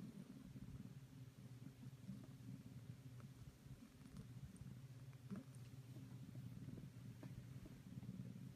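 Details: Maroshiro, a domestic cat rescued in 2014 and now head of a household of rescued cats, purrs while seeking affection after moving into a second-floor pampering room. A steady low rumbling purr with a quiet indoor background.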